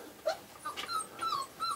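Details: Five-week-old Australian Shepherd puppies indoors; soft, thin whines, several short rising-and-falling squeaks spaced through under two seconds, fairly quiet.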